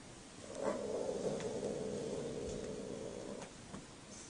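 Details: Cats mating, one letting out a long, strained, steady-pitched yowl held for nearly three seconds before breaking off, over a low background hum.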